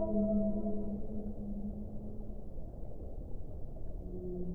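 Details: Sustained whale moans with stacked harmonics fade within two seconds into a low rumbling wash. A fresh moan returns near the end.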